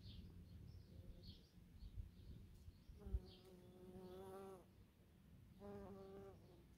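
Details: Bees among bumblebees on false stonecrop (sedum) flowers in a garden plot in Germany; two droning buzzes with a steady low hum pass by, the first lasting over a second with a slight pitch wobble, the second shorter, over faint background rumble.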